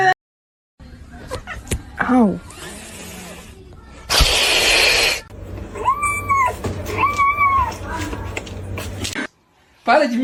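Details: Kitten giving two short arched meows about a second apart, each rising then falling. People talk throughout, and a loud burst of noise and bits of music surround the calls.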